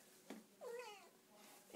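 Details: Somali cat indoors giving a single short meow that rises and then falls, clear and slightly nasal, after a soft tap, with a man speaking before and after.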